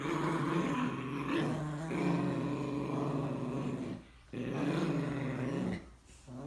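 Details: Growling match between a Morkie and a Yorkie, sustained buzzy low rumbles interrupted by two brief silences around four and six seconds, each followed by renewed growling.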